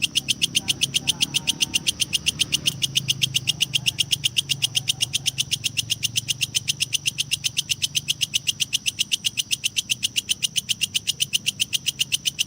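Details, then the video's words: Kecek grasshopper recording meant for training lovebirds: a rapid, very regular high-pitched rasping pulse train, about four pulses per second, bright and metallic, running steadily throughout with a faint low engine-like hum underneath. "suara belalang kecek"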